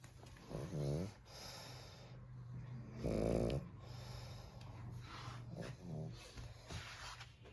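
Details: Sleeping Pug called Tintin snores in three coarse, low, throaty breaths spaced roughly two to three seconds apart, with a steady low household hum underneath.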